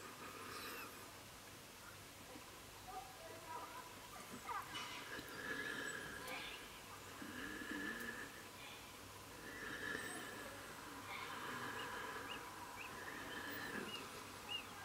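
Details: A tame female Welsh red fox, a mother of four kits, is coaxed to eat food around July 2017, giving thin, high, wavering whines in uneven short nasal bursts, with faint human voices behind.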